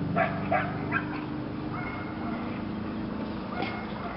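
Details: Lily, a female Belgian Malinois, in PSA bite training on leg sleeves for her second time: three sharp barks within the first second, then a thin high whine, a further short bark near the end, over a low constant hum.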